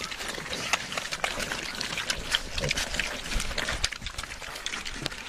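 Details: Several pigs at a trough eat noisily, with rapid crisp chomping and slurping clicks and a few short low grunts mixed in.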